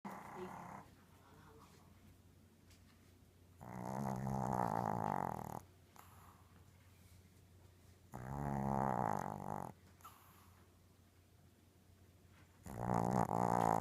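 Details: Small Yorkshire Terrier, 6 lb and two years old, snoring while asleep, as it does every night: three rasping, droning snores about four to five seconds apart, separated by quiet breathing and low room hum.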